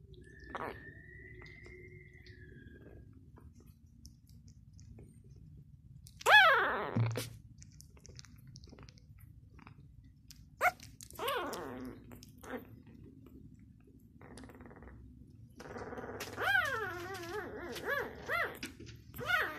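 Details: Six-day-old Labrador Retriever puppy indoors giving several high, sweeping squeals, then a run of wavering, repeated whines near the end, with soft rustling and handling noise between calls.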